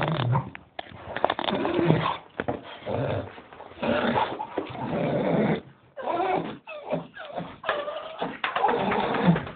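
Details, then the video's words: Staffordshire Bull Terrier grumbling while waiting to go for a walk, a Doberman joining in; indoors, near-continuous rough growly moans and whines in bursts of about one second, with brief pauses between. "Staffordshire Bull Terrier voice Staffie making funny noises"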